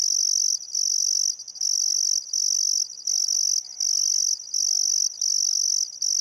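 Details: High, rasping cricket trills in rhythmic bursts about once a second, recorded at sunset on the Barcoo River in Welford National Park, Outback Queensland, during a still summer afternoon; quiet birdsong faintly behind.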